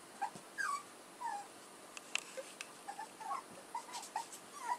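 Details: Newborn-sounding squeaks from the puppies of Edhel and Berry: many tiny high whimpers, short and slightly falling, repeated every half second or so, over a soft constant hiss with an occasional click.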